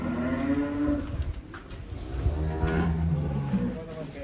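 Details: Deep, steady lowing comes from one of the giant cattle kept in Wonosobo, where some reach 1.3 tons. Two long, low-pitched drones are heard under murmured human voices.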